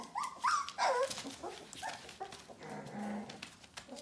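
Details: Bohemian Shepherd puppies nearly four weeks old, F litter from a kennel, give quick wavering whines and squeals that bend up and down, several in the first second, then quieter murmurs and rustling.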